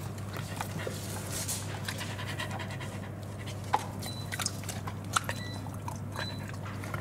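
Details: Welsh Corgi panting while playing with a ball in a coffee shop on 3 June 2022; soft, breathy, rapid panting over a steady low indoor hum, with a few sharp clicks and faint background noise.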